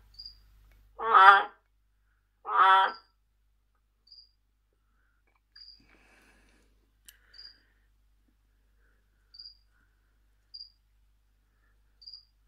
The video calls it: Baumhöhlen Krötenlaubfrosch Trachycephalus resinifictrix Ruf calling